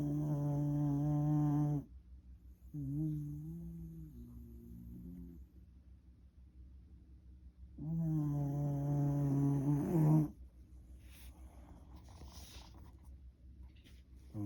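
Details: Shiba Inu, once a rescue dog, snores loudly while sleeping: three drawn-out, low, buzzing, nasal snores each lasting two to three seconds, separated by quieter breathing gaps, with faint rustling near the end.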